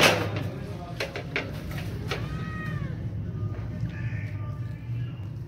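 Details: Cat meowing while asking for food: a thin, arching meow rises and falls mid-clip, followed by a fainter second cry, over a steady low hum with a few sharp knocks near the start.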